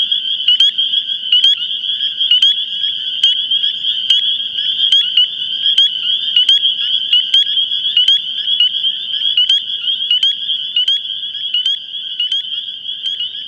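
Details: Dense chorus of thousands of male spring peepers (Pseudacris crucifer) in a Long Island swamp or vernal pool in spring: high piping breeding calls from inflated vocal sacs on reeds, to attract females, merging into one continuous shrill wall of sound.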